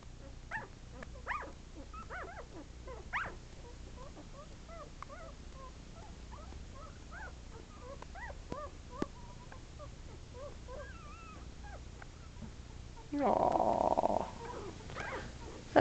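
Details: Shetland Sheepdog puppies, eleven days old with eyes still shut, wobbling about: many short, thin squeaks, some rising, others falling, scattered in quick bursts, with one pup squeaking apart from the rest; a louder, broader burst of sound near the end.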